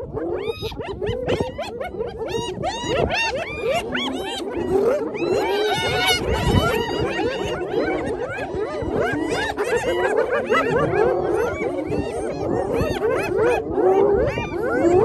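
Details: A clan of spotted hyenas taking over a lions' meal once the lions were full, filmed on an iPhone: a dense chorus of high, bouncing giggles and whooping yelps from many animals at once, continuous and loud throughout.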